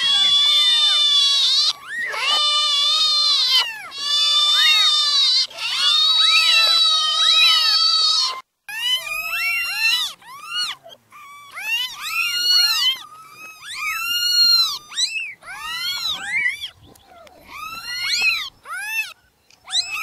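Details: Many newborn kittens crying together in a dense, overlapping chorus of high, arched meows. Long sustained squeals at first, then shorter rising-and-falling mews tumbling over one another.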